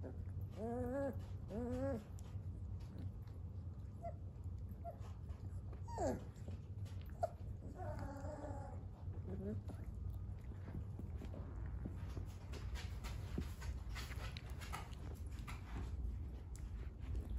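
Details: Three-week-old Dogo Argentino puppies give short, high whimpering squeals in quick pairs, one falling whine and a few softer squeaks against a steady low hum, with quiet pauses between bursts.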